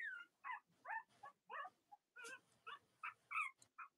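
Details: Young Cavalier King Charles Spaniel puppies, litters of mothers Robin and Myra, indoors on a chilly late-October US morning: a steady run of high, wavering whimpering yelps, about two or three each second, with no other sounds.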